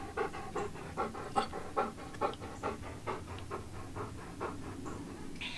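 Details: Old English Sheepdog named Wallace, a household pet, panting steadily indoors: quick even breaths at roughly two or three per second, each a soft breathy huff, with no other clear sounds.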